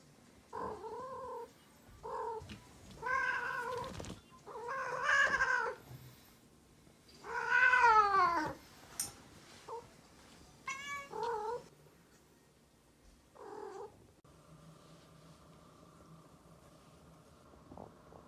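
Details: Indoor cats, a neutered male watching a female in heat: a run of long, wavering, harmonic yowls and shorter meows, rising and falling in pitch, loudest around the middle, then fading to a quiet, steady hum.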